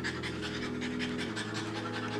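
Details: Female French Bulldog in labour during her first natural delivery, April 2019, nervous as her first puppies arrive; quick, shallow rhythmic panting about six breaths a second over a steady electrical hum indoors.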